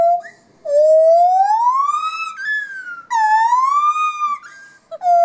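A gibbon gives loud, clear, hooting whistles, each note swooping slowly upward before breaking off sharply. The rising phrases repeat back to back with short gaps, pure-toned and ringing.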